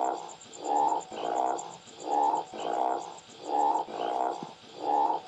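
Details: Rice field frog giving rough, throaty croaks in bursts, some doubled, spaced about every 0.6 to 0.8 seconds. A faint, high pulsing buzz sounds steadily behind them.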